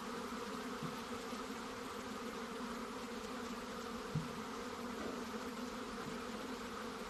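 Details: Honey bees in a steady, dense buzzing hum with layered low drones that hold unbroken for the whole stretch, and a single soft knock near the middle.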